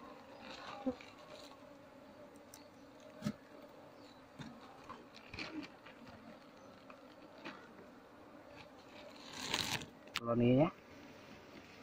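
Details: Asian honey bee colony being taken out of an active speaker box and moved into a hive box; a steady low droning buzz with scattered knocks and scrapes of handling, and a short squeaky burst near the end.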